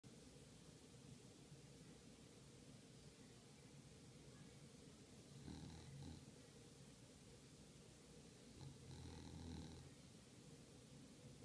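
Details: English bulldog making low, rough snorting breaths: two brief grunting bursts around the middle and near the end, over a steady hiss of room noise.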